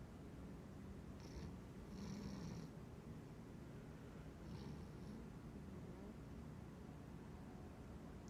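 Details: Pet cat dozing through the day while dreaming, soft low snoring rumble with two or three short wheezy breath sounds in the first half, quieter steady breathing afterward.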